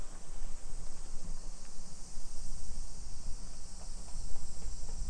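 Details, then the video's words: Shrill, constant buzzing of summer cicadas in a residential Nisshin city neighbourhood, Aichi, Japan, at 2 PM on 28 July 2021, sustained without pause above soft low-pitched walking and street sounds. "Summer Cicadas Sounds"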